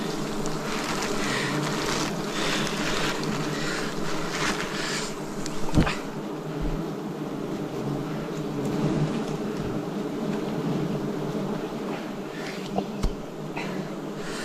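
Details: Wild bees buzzing around a forest honey harvest, 2026: an unbroken low drone from many insects, overlaid with handling noises, rustling and a few sharp knocks.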